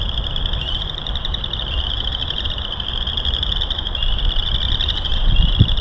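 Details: Many frogs calling loudly at Burr Reed Marsh, Morton Arboretum, in March beside hiking loop 3: rapid pulsed high trills merging into a steady chorus, over low rumbling background noise.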